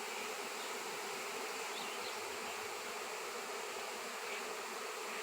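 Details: Honey bees swarming around a raw seven-pound piece of shungite, in an area where none had been seen for years; a dense, continuous broadband hum of many insects, steady throughout with no breaks.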